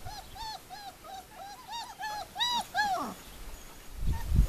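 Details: Puppies aged four weeks, litter Formule 1 / Callie at Le Domaine des Pertins, crying in a clear series of arched, whistle-like whimpers about three per second, then a loud bump at the end.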